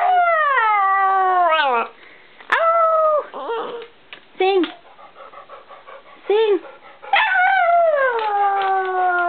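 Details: Precious, a pet dog, howls and cries after her owner's son, home from three weeks away, drops his bags and leaves again: long falling harmonic howls with short broken yelps between, a person coaxing her to sing.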